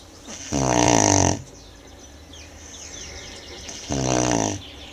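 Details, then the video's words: Sleeping Tibetan Mastiff Manjurhi gives two raspy, fluttering snores about three seconds apart, each close to a second long, with faint airy breathing in the pause between. "do-khyi ronflement de Manjurhi"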